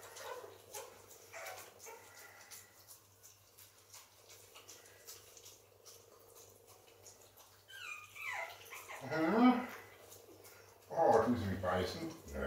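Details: Indoors, Pekingese puppies feed and play. Quiet rustling gives way to a falling whine near eight seconds, then two loud, harmonic yelping bursts, with soft human voices in the background.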